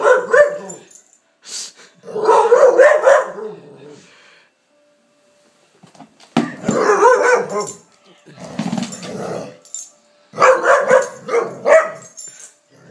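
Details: Layla, a Palestinian street dog now in Canada, goes crazy over a lamp shade, uttering repeated bursts of growling mixed with wavering, howl-like moaning, several rising and falling phrases with short pauses between them, indoors.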